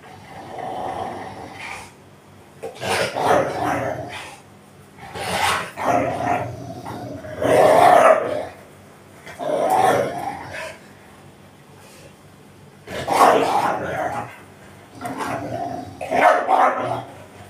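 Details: Pet Rottweiler Tyson protecting a toy, growling in repeated rumbling, throaty bursts of about one to two seconds each, separated by short pauses, seven bursts in all.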